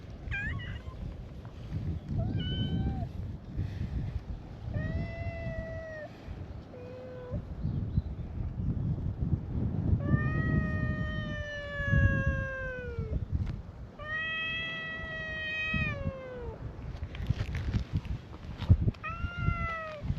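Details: Chorus of stray cats at a cat gathering on a cat island, meowing in welcome to a visitor: several long, clear, tonal meows, some steady and some gently falling, overlapping and following one another, over low rumbling background noise.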